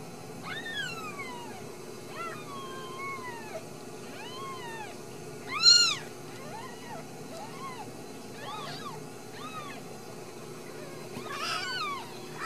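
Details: Ragdoll kittens raised indoors without cages in central Kansas, mewing repeatedly: thin, high, arched meows that rise and fall, some drawn out and sliding downward, others short, overlapping from several kittens over a steady background hum.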